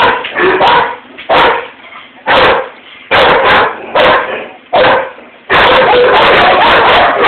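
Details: Indoors, a German Shepherd barks at something seen outside the window and provokes a Rottweiler housemate to bark back; deep separate barks at first, then a continuous frantic burst of barking.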